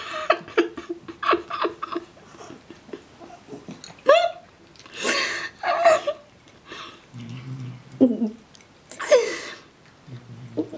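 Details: Emile, a pet cat, grunts and rants at the other cat Kiri, keeping it up even while eating: short rough grunts and nasal whines, some rising, scattered across the stretch, with a person's voice and laughter mixed in.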